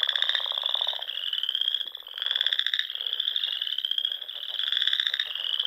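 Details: Frogs singing in spring at dusk among the ponds and rolling dunes of Nebraska's Sandhills; a dense chorus of steady high trills with pulsed, buzzy bursts swelling and fading roughly every second or two.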